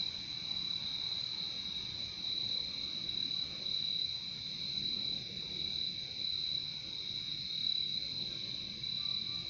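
Crickets trill in a steady, high-pitched chorus that carries on without a break.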